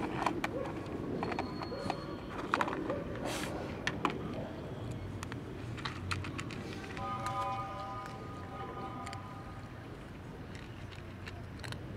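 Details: Outdoor urban din of traffic rumble, clatter and distant voices, with a short tonal hum in the latter half and no animal calls.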